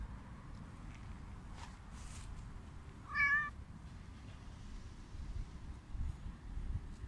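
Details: Hungry homeless mother cat with her kitten, being fed outdoors: a single clear harmonic meow near the middle, about half a second long, over steady low rumbling background noise and faint clicks.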